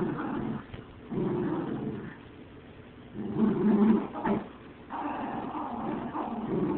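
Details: Low, throaty dog growls come in separate bursts about a second or two long, with quieter gaps between them and a harsher, stronger stretch in the middle.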